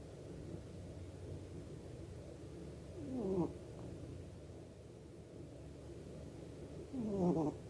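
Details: Domestic cat asleep and snoring; two rough snores about four seconds apart, each sliding downward with a nasal tonal edge over a steady low breathy hum in a quiet room.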